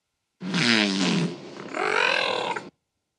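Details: Wiki, a 14-year-old female killer whale, imitates the human words "one, two" in two rough, buzzy, voice-like bursts.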